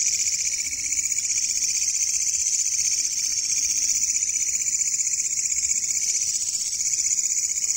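A katydid fills the night with a loud, continuous, high-pitched buzzing trill.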